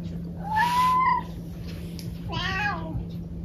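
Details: Domestic cat indoors giving a clear meow that rises and falls, followed about a second later by a shorter, rougher second meow, over a steady low electrical hum.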